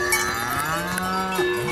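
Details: Alpine or Jura cattle: a drawn-out low moo holding steady then breaking off, with constant cowbells clanging and ringing in the background.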